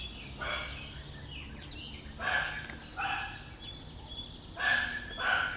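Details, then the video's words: Black cat meowing in short harmonic bursts, two close together, then a pause and another pair, with faint birds chirping outdoors in the background. "Black cat meow"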